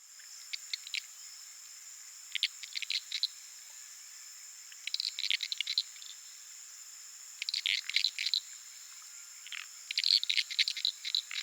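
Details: Uruguay harlequin frogs calling at night from a small puddle in the flooded savannah of the Pantanal, recorded on a Sony PCM A10 with Lom mikroUsi microphones; short bursts of dry rapid clicks separated by pauses, over a steady high insect hum.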